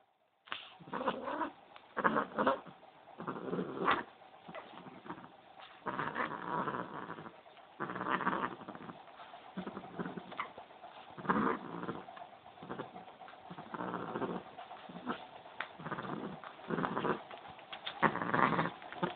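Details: An angry pet cat, male, making repeated harsh growling yowls in broken bursts of about a second, noisy and rasping, with short pauses between them over a steady low hum.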